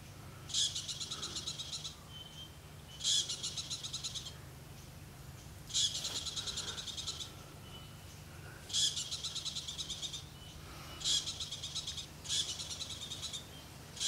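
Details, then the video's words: Very loud squirrel alarm in the Okavango Delta, Africa: harsh, rapid, rattling chatter bursts of about a second each, repeated every two to three seconds, six bouts in all, over a steady low hum. "squirrelalarm a very loud squirrel in Africa"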